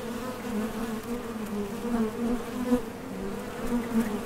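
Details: Foraging honey bees leaving and landing at a Top Bar Hive entrance produce a dense, unbroken hum, steady in pitch, with small pulses of louder buzzing scattered through it.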